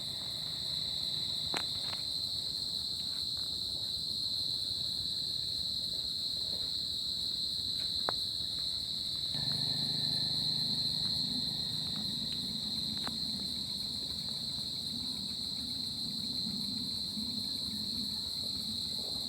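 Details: Crickets on a summer night: a steady, high, shrill trill holds without pause, with a fainter overtone above it. A low rumbling hum rises about halfway through, and a few sharp clicks are scattered throughout.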